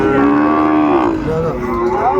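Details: A Sahiwal calf or cow lows at a cattle market in Kurigram, Bangladesh, on 14 December 2024. A loud, steady moo slides slightly downward, then a second, shorter call follows, with a crowd murmuring beneath.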